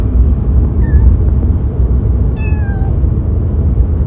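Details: Two brief meows, the second higher and drawn out, from Gato, a male Siberian kitten about three months old and newly brought home, heard above a heavy, steady low-pitched rumble.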